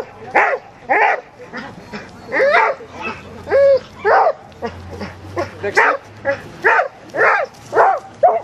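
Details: Border Collies of Maranns Home barking at an English and Belgian obedience demonstration held at a reunion on 25 August 2007. Bright, clipped barks arrive in a steady series about every half second over a faint low hum.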